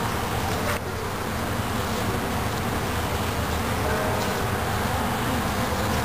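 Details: Honey bees from a colony bred for gentleness and productivity, a dense steady hum of many wings filling the air with a low broad drone, a brief dip near the first second, no clear other sounds.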